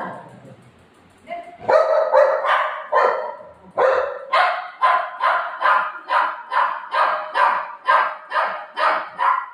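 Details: Buzo, a Golden Retriever whose ice cream got eaten, lets out a few irregular barks, then settles into a steady series of loud, evenly spaced barks roughly two per second.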